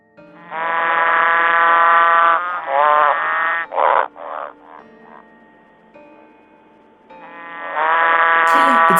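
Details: Green and golden bell frogs at the brick pit of Sydney Olympic Park, Australia, where the once near-extinct species survives, give long, droning, buzzy growls broken by a few shorter pulsed notes.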